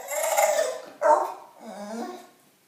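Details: Loetje the bulldog, seeking attention inside a small room, makes a rough snorting grunt, then a sharp bark-like yelp and a lower sliding whine, all within under three seconds.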